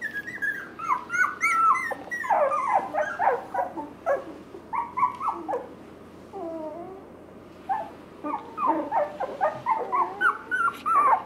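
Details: Wire Fox Terrier brothers, young dogs at a pet shop in Nara, Japan, give rapid high-pitched whines, yips and squeaky yelps in quick irregular bursts, pausing briefly midway before resuming.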